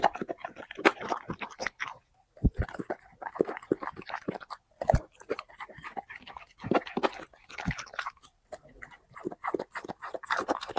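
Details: Dog mukbang meal of chicken and vegetables, five plates: loud crunching and wet chewing in quick clusters, broken by brief silences near two and eight seconds, sharp bite snaps standing out.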